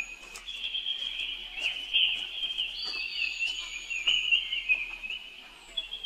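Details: Baby monkey, a young brother crying out for help as his sister runs away; one unbroken high-pitched wail that wobbles in pitch, with short sharp peaks throughout.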